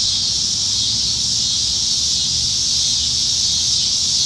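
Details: Cicadas singing up in the trees on a summer evening in Nebraska, July 2019: a dense, steady, high hissing buzz that holds unbroken and even throughout, with a faint low rumble beneath.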